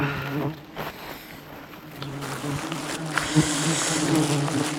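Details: Angry swarm of honey bees surrounds a honey hunter during a dangerous jungle climb for wild honey; continuous low humming buzz with brief louder passes of single bees close by.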